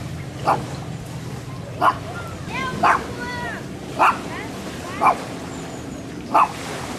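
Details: Barking dog captured handheld on a Sony FDR-AXP55 camcorder: six single sharp barks roughly a second apart, with faint chirping birds between them and a continuous low hum beneath.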